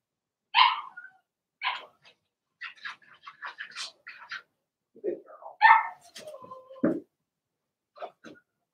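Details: Blenheim Cavalier King Charles Spaniel puppies, a litter of six in an indoor puppy pen, giving short high yips and barks in a scattered series, with some squeaky whines and a lower yelp near the end.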